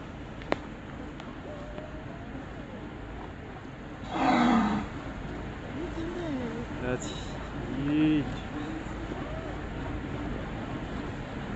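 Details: A humpback whale off the Gold Coast, Australia, exhales in a loud, rushing whoosh, followed by a softer second breath.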